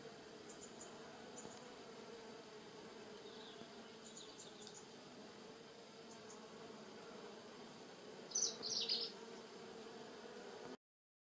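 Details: Rosemary in a Polichnitos village garden draws giant white-tailed bumblebees and smaller honey bees in early November 2020 sun; a soft continuous drone hums throughout, a few high bird chirps break in briefly near the end, then sound stops.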